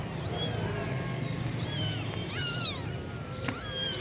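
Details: Persian kitten of semi-punch type in Gujranwala gives a few drawn-out, high, wavering mews, one long and falling, over a rumbling low background hum.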